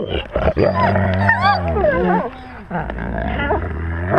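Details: Pack wolves close to a GoPro camera at their own level; loud rough growling with a deep rumble, mixed with wavering high whines and squeals from several animals, a brief lull, then more growls.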